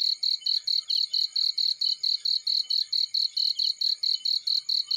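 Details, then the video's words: Field cricket sound: a rapid series of bright, high chirps, roughly three to four per second, each a short buzzy pulse at an unchanging pitch, set against quiet surroundings. "Warm Relaxing Fireplace In Field || Burning with Cricket Sounds"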